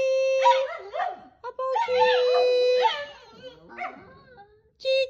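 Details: Dogs singing with music give wobbling, bending howls that rise and fall around a steady held instrumental note, with a loud run of quavering cries in the middle before fading, and the held tone returning at the end.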